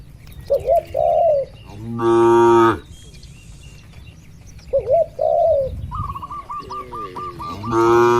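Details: Cattle in a farm barn: two loud, harmonic-rich moos, one in the middle and one at the end, amid softer wavering dove-like coos and a rapid repeated chirping trill from birds in the background.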